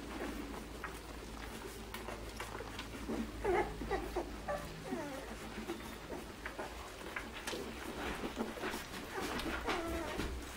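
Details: Nine-day-old Irish Setter puppies from Soldier Mountain eating in October 2016, giving rapid high, wavering squeaks and whimpers in irregular bursts over low background rumble, with a soft voice nearby.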